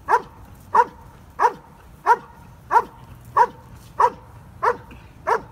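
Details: Stryder, a German Shepherd in IPO1 protection work: nine evenly spaced, forceful barks about every 0.6 seconds over faint background hum.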